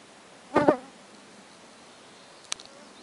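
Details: Young stoats (Mustela erminea) playing, running and hiding in an old barn give a brief, buzzy double chitter, followed later by a single faint click.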